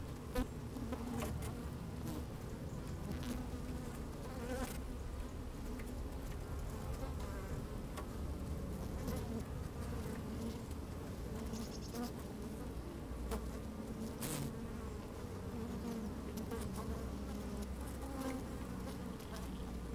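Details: Twenty seconds of honey bees busy in an open hive on a fine sunny day, microphone lowered among them: an unbroken deep droning buzz, gently wavering hum tones and occasional crackling clicks of bees moving about.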